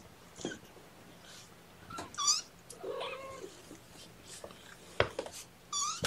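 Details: Syringe-fed kittens cry during their first formula feeding of the morning, 8 May 2018; sharp rising mews come in short bursts between clicks, rustling and a lower, grumbling cry.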